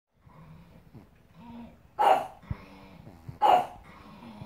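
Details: Pug barking at April the giraffe giving birth on screen: two short, sharp barks about one and a half seconds apart, over quiet background sound with a faint low hum.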